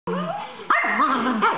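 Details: Three pet dogs, stirred up and playing with a visiting dog in the evening, bark in a quick series of sharp, wavering yelps and bow-wows, with rising and falling tones run together.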